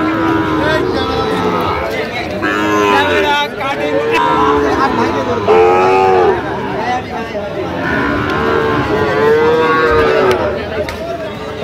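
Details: Sahiwal bull calves at a cattle market in Kishoreganj, Bangladesh, on 10 October 2025. Drawn-out, arching moos rise and fall repeatedly over the clip, set against a steady hubbub of crowd voices and bargaining.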